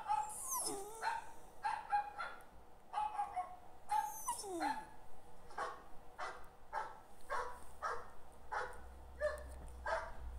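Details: A dog whimpers in response to other dogs barking: high, thin, falling whines mix with a steady run of short barks roughly every half second.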